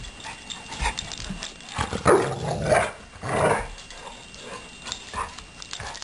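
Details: Two dogs, Blue and Suri, romping in play, Blue with a floating hind leg he refuses to use; rough throaty growl bursts around the middle, a few seconds apart, amid scuffling.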